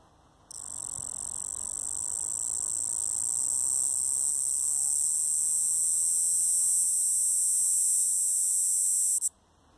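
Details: A male double-spotted cicada (Galanga labeculata) sings a loud, continuous, high-pitched buzz that holds steady for nearly nine seconds.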